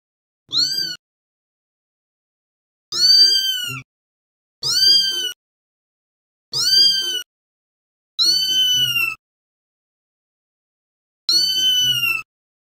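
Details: Domestic cat giving six thin, very high-pitched meows, each bending slightly downward, spaced irregularly with silent pauses of one to three seconds and no other sounds.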